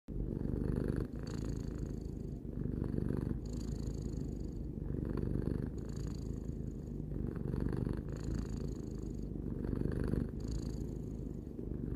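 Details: Domestic cat, three years old, purring indoors: a continuous low rumbling vibration in steady cycles, each breath of the purr lasting roughly one to two seconds, with faint higher hiss bands riding alternate phases.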